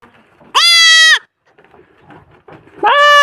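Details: A young goat kid bleats loudly, calling for its mother, with a strained, rising-then-level cry repeated after a pause.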